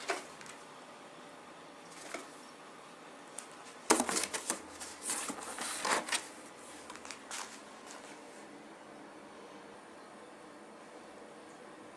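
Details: Scattered rustling, tapping and soft thumps sound in a quiet small room, with a busy cluster of handling noises in the middle.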